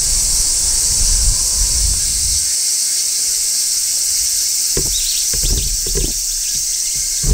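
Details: Large brown cicada singing on a tree in midsummer, a continuous high sizzling shrill holding steady throughout, with low rumbling handling thumps early on and brief faint rising chirps near the end.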